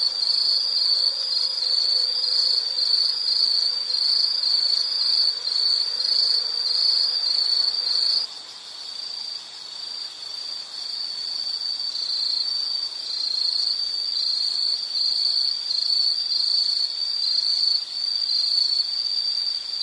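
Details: Insects trilling in a nature recording, a continuous high pulsed chirping; after about eight seconds the background drops quieter and the trill turns more broken and uneven, still repeating roughly twice a second.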